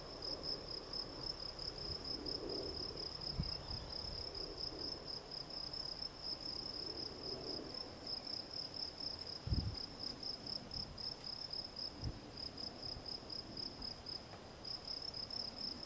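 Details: Extended song of a field cricket, Gryllus campestris: high, pure chirps repeated at a fast steady rate throughout, occasional brief gaps, with a few low thuds and soft ambient rumble.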